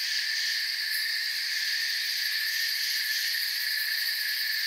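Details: Forest crickets in full chorus: a constant high-pitched, ringing buzz of many overlapping chirps holding an even level throughout, nothing else standing out.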